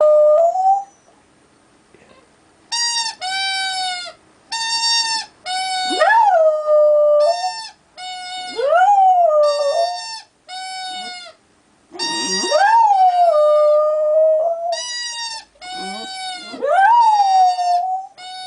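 An American Staffordshire Terrier howls in wavering, wolf-like notes that swoop up and slide down, broken by short whiny yelps.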